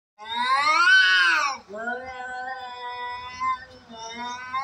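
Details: Cats fighting: one long, loud wail that swells and then falls, followed by a lower, steady yowl that wavers in pitch, recorded close and indoors.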